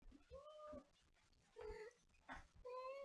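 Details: Domestic cat meowing indoors in a small room: three drawn-out, level meows with clear harmonics, separated by short pauses, plus faint background noise.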